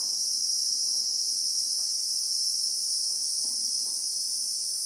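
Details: Real-time South African bushveld recording of Christmas beetles (Anoplognathus): an intense, continuous high-pitched drone with a slight pulsing shimmer, and soft low clicks scattered beneath it.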